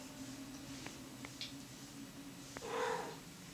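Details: Domestic cats Muffy and Emil mating indoors; a short, low, moaning cry swells near the end, preceded by a few soft clicks over a steady low household hum.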